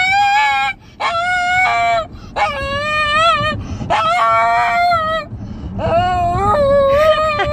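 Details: A Shih Tzu in a car's backseat, unhappy while people in front eat his favourite vanilla ice cream, gives long, wavering, tonal whines that rise and fall like singing, in repeated phrases.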